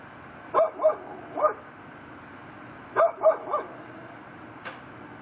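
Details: Pit bull tied up on a front porch at night in Chalmette, Louisiana, December 18, 2012, barking in two clusters of three sharp, hoarse barks about two seconds apart, with quiet night hum between.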